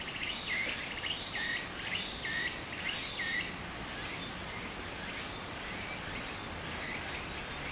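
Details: Cicadas along a stream in Japan in summer. A rapid run of rising chirps fills the first three seconds before thinning out, while the high drone and running water continue.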